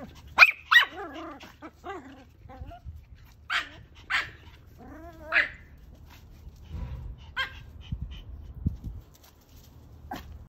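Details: Pomeranian dogs at play give a rapid pair of shrill barks followed by wavering whines, then scattered short yaps spaced about half a second to a second apart, fading into soft thumps and rustling.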